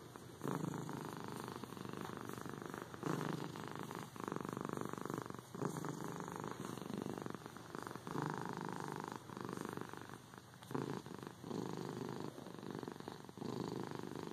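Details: Continuous cat purr, a buzzing low vibration that swells and eases with each in- and out-breath roughly every one to two seconds, steady and calm throughout with no other sounds.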